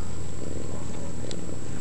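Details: Hairless Sphynx cat with its latest litter of kittens at a cattery: a steady, deep, low rumbling purr runs throughout, with a faint soft click near the end.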